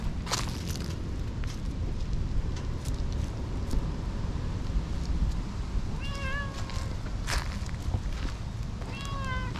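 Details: Affectionate tortoiseshell cat, down from a nap in a tree and rubbing vigorously against a person, gives two short bent meows about three seconds apart, set against constant low-pitched outdoor background noise and scattered clicks.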